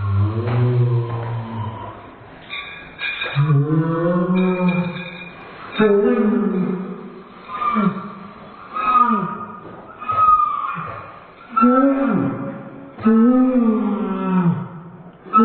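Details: Dobermann whining, slowed down so it resembles whale song: a series of deep, rich moaning tones rising and falling in arcs, each lasting one to two seconds with short gaps between them.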